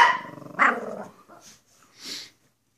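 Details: Pair of Pekapoms, Stella the smaller female and Moose the male, clowning for the camera; a rough, throaty bark-growl opens, then a sharper yap follows, fading into soft rustles and a breathy hiss.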